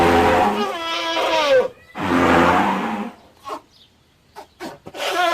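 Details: Elephant sounding two strong, harmonic, trumpeting blasts of about one and a half seconds each, with wavering tones, then a few short knocks and scrapes before another blast begins.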